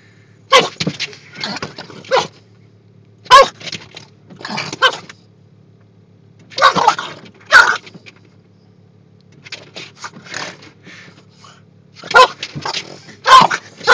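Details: A Boston Terrier in a vehicle goes into attack mode at the moving windshield wipers, giving bursts of harsh, snorting barks in quick clusters over a low engine hum, in Oklahoma.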